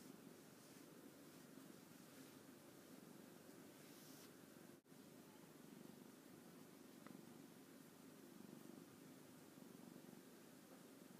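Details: An orange tabby cat, pleased after a play session with its owner, purrs in a steady low vibrating drone, with a brief dropout midway and light rustling.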